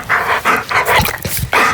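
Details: A female German Shepherd puppy on a living-room couch hiccups in short breathy jolts about every half second, amid her heavy breathing.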